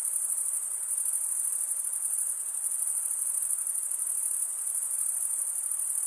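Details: Crickets stridulating in a dense chorus: a continuous, shrill, very high-pitched trill with a fine pulsing texture, steady in loudness throughout, with no other animals or voices audible.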